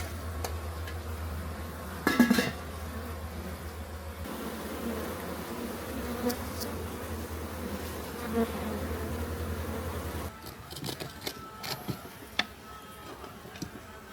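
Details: Honey bee colony in a massive clay pot hive being relocated away from a house in Homagama, Sri Lanka; steady low droning buzz for about ten seconds with an electrical hum, sharp clinks and knocks, then quieter scattered taps.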